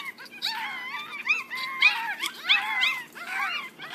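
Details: Six one-week-old Yorkshire Terrier puppies squealing together: high, wavering whines and yelps that rise and fall, overlapping in quick bursts about every half second, with a faint low hum behind.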